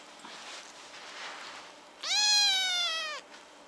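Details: Kitten crying for no clear reason: one loud, clear meow of about a second, starting high and holding steady before dropping slightly, rich in harmonics, after quiet rustling; a woman speaks Korean just before.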